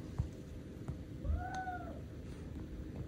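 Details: Indoors, the young male British Shorthair Sobbang lets out a single soft, arching meow over low background hum and a few faint taps.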